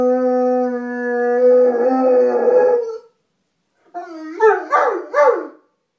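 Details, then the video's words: A Saint Bernard howls along with a distant, barely audible siren: a long, steady, mid-pitched note, then a quick run of wavering, yipping howls. "Do St Bernards howl? Your dog will howl to this"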